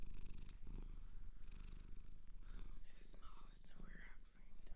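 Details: Low continuous purring from a cat adopted from a shelter in Japan, recorded close in a quiet room, with soft whispering and brief rustles over the rumble near the end.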